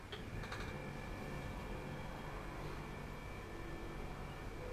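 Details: Quiet indoor room tone with a low hum and a few faint ticks, and no animal voice.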